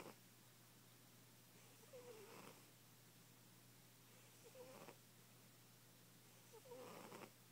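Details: Fat pet cat asleep indoors, snoring softly: three faint, airy breath sounds with brief wavering whistles, spaced a little over two seconds apart over a low steady hum.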